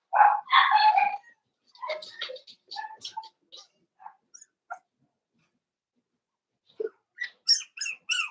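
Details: Cavalier King Charles Spaniel puppies, four weeks old, in Daisy's pen: a few strong squealing yelps, then faint scattered squeaks, a quiet pause, and finally a burst of very high, thin yips.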